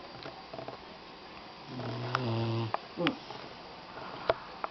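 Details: Doberman puppy napping indoors: one drawn-out, low buzzing snore with a steady droning tone lasting about a second, then a shorter snuffling breath, with scattered light clicks and faint room hiss.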